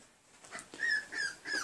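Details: Tri-colored male Pembroke Welsh Corgi puppy from a 2019 litter, held indoors, gives three soft, high whines, each a short level tone that dips slightly at the end, about every third of a second.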